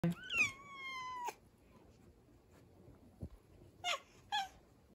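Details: Big male house cat with a small, kitten-like voice, meowing in defeat from a dresser indoors after losing a fight over a window seat: one long, high, clear meow that rises slightly then slowly falls, followed by two short, quieter calls.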